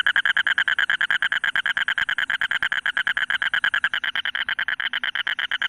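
A toad gives a steady, rapid crackling trill of about ten clicks per second.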